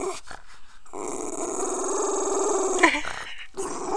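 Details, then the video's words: Pet dog Poe, reacting to the neighbor, gives a sustained rumbling growl about two seconds long, rough and steady with a rising edge near the end, framed by shorter huffs and snarls before and after. "Dog barking"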